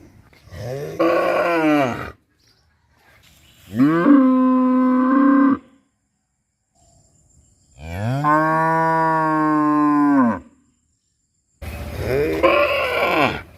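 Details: Cow at Rosulpur, whose call is said to sound like "amba amba": four long, steady, resonant moos of about two seconds each, separated by short silences, the last one rough and strained.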